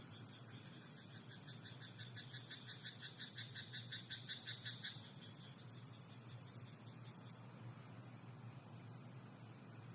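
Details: Frog croaking at night in a rice paddy: a quick train of rattling, pulsed notes lasts about four seconds and then stops, with a steady high hiss and a low hum continuing behind it.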